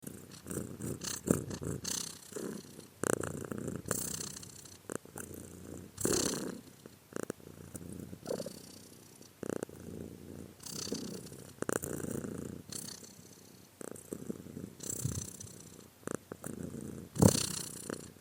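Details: Domestic cat purring steadily, a low rumbling vibration broken into alternating breath cycles of uneven length, each exhale swelling into a brighter, breathy hiss; quiet indoor recording with no other clear sounds.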